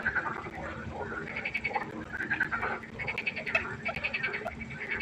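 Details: A dense night-time chorus of frogs at a pond, many overlapping pulsed and rattling croaks rising and falling together.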